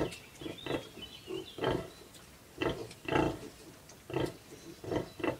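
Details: Bentheimer Landschwein pig with her eleven young piglets, kept at the LWL open-air museum in Detmold: a steady series of short, deep grunts spaced about half a second apart, with brief higher squeals at the start.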